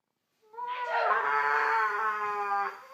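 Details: A Siberian Husky howls on hearing someone sneeze: one sustained, tonal, harmonic-rich howl of about two seconds that rises at the start and then holds steady, indoors.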